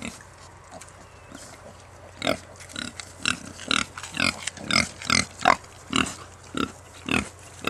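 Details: Baby Kunekune pigs, new births at a farm estate in France, calling in a rapid series of short, bright squeaky squeals and grunts, about two per second, over a faint low hum.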